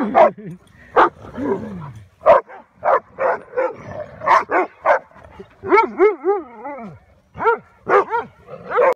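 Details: About five-year-old neutered male German Shepherd playing roughly with several dogs at a rescue ranch in early morning; sharp barks in bursts, a run of rising and falling whines midway, a voice calling.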